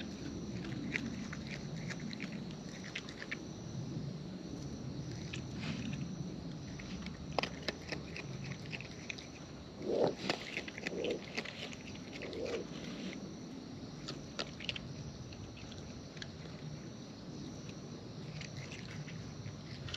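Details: Wild raccoons eating close up, their natural chewing heard as scattered soft crunches and clicks over a low steady rumble, with a brief cluster of louder bites around the middle.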